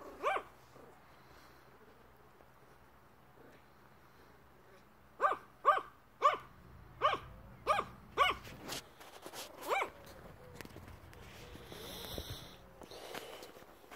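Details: Yorkshire Terrier named Prinz barking while begging: one sharp bark, a pause, then a run of about eight short, sharp barks roughly half a second apart, followed by scuffling and rustling noises.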